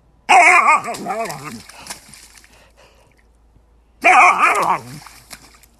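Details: Siberian Husky in a funny animal compilation, making two bursts of undulating, yodel-like vocalising, each over a second long with rapid rising and falling pitch, separated by a quiet stretch with faint rustling.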